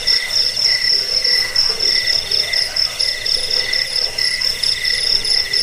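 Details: Cricket sound for scaring off rats, aiding sleep and training cage birds: rapid, ringing high chirps pulsing about four times a second over a softer lower trill, continuous and even in loudness.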